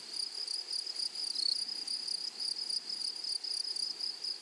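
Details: Grasshoppers in a flowery meadow or prairie: a steady, high, shimmering buzz with fast pulsing throbs, holding one bright pitch band throughout with a fainter higher overtone.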